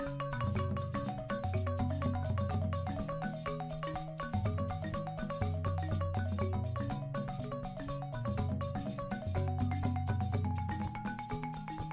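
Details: Bright xylophone and mallet percussion music plays steadily throughout, with a low repeating bass line and no animal sound.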